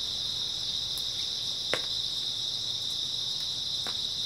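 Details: Early autumn night chorus of grass insects: a constant high, buzzing trill that never lets up, with one sharp tick near the middle and faint clicks around it.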